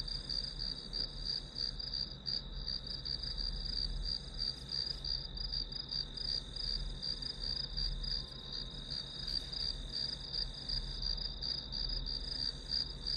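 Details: Continuous chorus of grass insects used for a one-hour study recording. Shrill, evenly pulsing high-pitched chirps fill the whole stretch, with a gentle low-frequency murmur underneath.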